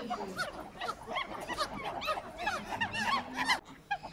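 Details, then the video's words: Monkeys calling in a busy chorus: rapid high chirps and arched squeaks overlap almost continuously for about three and a half seconds, with a faint low hum beneath, then a few scattered squeaks after a brief drop. "monkey sounds"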